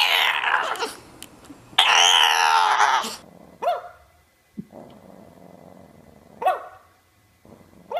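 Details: English Bulldog puppies: a loud, harmonic growling whine near the start, then short, sharp puppy yips and barks spaced a few seconds apart, with quieter low grumbles between them indoors.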